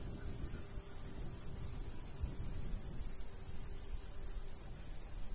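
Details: Crickets in a golden wheat field in summertime countryside with a light breeze; a quick, even run of high pulsed chirps continues throughout, backed by a low wind roar.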